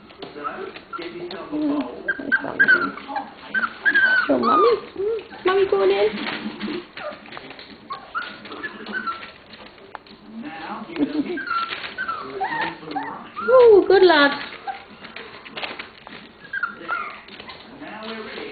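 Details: Lola's litter of 27-day-old puppies playing together indoors: high, thin whimpers and yips, some sliding downward into squeals, come in irregular bursts with pauses between, with people talking throughout.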